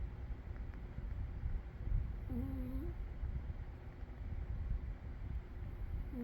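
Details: A sleeping cat named Umi gives a low droning snore broken by a short whistled breath, then a second one starts four seconds later.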